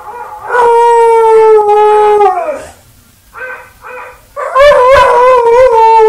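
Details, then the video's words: Buster the dog howling at himself again: a long steady tonal howl held nearly two seconds and sliding down at its end, a pause with short broken notes, then a second loud wavering howl. "Buster Howls at Himself Again"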